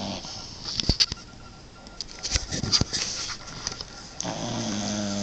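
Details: Boxer puppy asleep and snoring loudly, a big snore for such a small dog; irregular rough breathy snorts with sharp clicky bursts, louder pulses near the middle, a steady hiss underneath.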